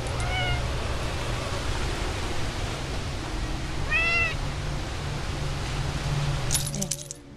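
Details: A cat outdoors in a backyard in October 2010 gives two short meows, a faint one near the start and a clearer, slightly rising one a few seconds later, over steady low background hum and a brief rustle near the end.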